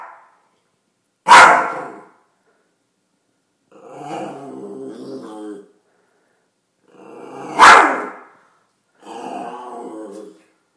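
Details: Chihuahua acting tough, giving two sharp, loud barks about six seconds apart, each followed by a low, rumbling, harmonic growl lasting one to two seconds, with silence between outbursts.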